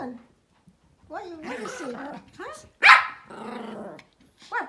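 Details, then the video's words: Pomeranian dogs at play, barking and making playful noises: wavering, whiny growling sounds rise and fall, then one sharp loud bark, more drawn-out growling whines, and a short final yelp, with a person talking indoors. "Pomeranian Playtime: Dog Bark and Playing the funniest Barks ever seen"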